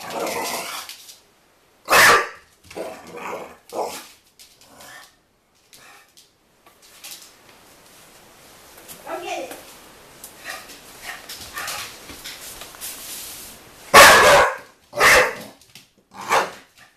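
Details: NuNu, a pet dog, barks as it chases a soccer ball: scattered loud sharp barks with softer huffs and a stretch of faint rustling, a person's voice briefly audible.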